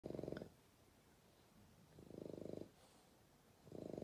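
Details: Young bulldog asleep at night, snoring: three long, rough, rasping breaths, each lasting about half a second or more, with quieter breathing in between.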